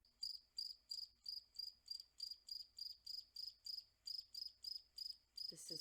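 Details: A single male cricket, played at normal speed, sings a steady series of high, pure chirps, about three each second, made by vibrating its wings.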